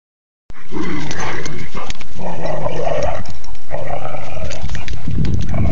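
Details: Zeus, a dog at Mossflower Acres in Door County, Wisconsin, teases Marley during a game of keep-away with a ball. He makes dramatic sound effects: harsh, distorted growling with whiny tonal strands over heavy low rumble.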